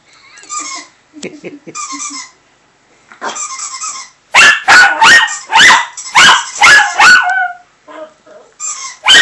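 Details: Chihuahua named Prince reacting over a Skype call to a squeaky toy sound on the computer: soft opening whines give way to a rapid burst of sharp, high yips repeated about every half second, ending in quieter whimpers.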